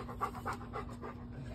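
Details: Pet dog named Bo, a male, pants in quick, breathy bursts about four times a second over a low steady hum, with no voices.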